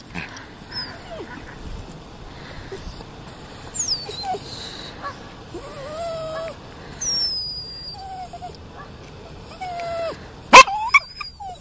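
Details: Max, a Toy Poodle who is afraid of ducks, doing his dolphin impression: thin, squeaky whines sliding up and down in short scattered glides, some very high, with a sharp click near the end and faint room noise.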